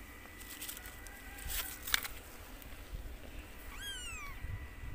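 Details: White mother cat playing with her kitten; a single high, thin meow arcs upward and then slides down near the end, after scattered clicks and rustling handling noise.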